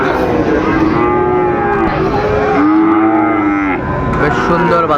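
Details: At Amabari cattle market in Dinajpur, Bangladesh, Sahiwal bull calves are sold on 12 September 2025. Several long, tonal lows overlap and bend up and down across the clip, with the noisy hum of traders and buyers behind.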